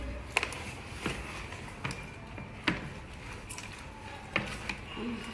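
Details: Indoor room with soft voices and sharp taps or clicks recurring every second or so, without any animal calls.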